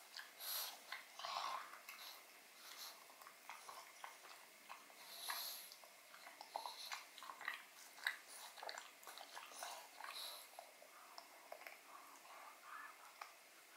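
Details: Odin the pug gnawing a marrow bone indoors in a small room: wet, crunchy chewing and sharp biting clicks in irregular bursts, with soft breathing between bites and no other sounds.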